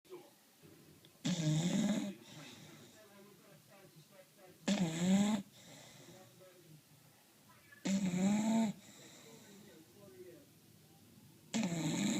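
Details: Sleeping bulldog snoring: four loud, throaty, rasping bursts about every three and a half seconds, each lasting under a second, with quiet breathing between them in a small indoor space.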